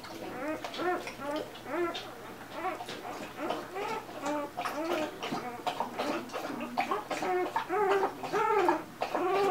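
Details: Newborn Golden Retriever puppies, two days old, producing rapid arched squeaks and grunting whimpers, several pups overlapping in a busy, irregular chorus of brief nasal cries with faint rustling underneath.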